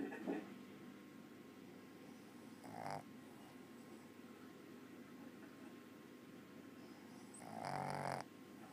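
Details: A Boston Terrier snores quietly for its breed, with rasping breaths in brief bursts separated by quiet stretches.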